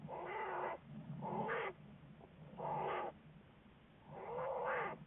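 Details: Studied American black bear, February 10, 2014: four harsh, bleating calls with arching harmonic tones, each under a second, separated by pauses, with low rumble beneath.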